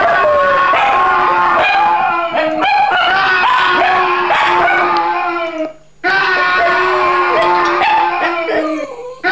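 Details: Dog howling in response to sound effects, sustained mournful wails that waver and slide downward, nearly continuous for about nine seconds with one brief pause, layered over other tonal background sounds.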